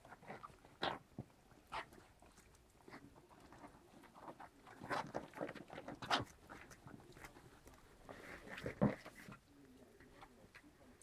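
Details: White German Spitz (Großspitz) puppies, seven weeks old, playing indoors in Berlin: scattered short, rough, noisy bursts at irregular intervals, with a faint low drawn-out rumble near the end and soft background shuffling.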